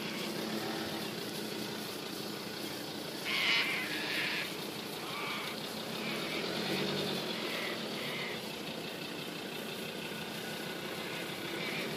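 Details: An idling engine drones outdoors in the countryside, with brief distant voices and no animal call.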